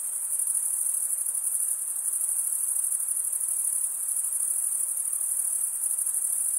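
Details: Chirping crickets, mainly males, making sound with the toothed stridulatory vein along each wing: an even, very high shrill trill with a subtle rapid pulse, constant throughout, backed by faint hiss.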